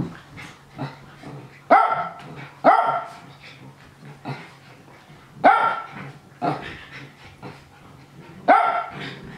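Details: A pet Japanese Spitz barks excitedly as other young dogs wrestle. Loud, clipped barks arrive in bursts, several close together around two and five seconds and one near eight and a half, with quieter yips and shuffling play sounds in between.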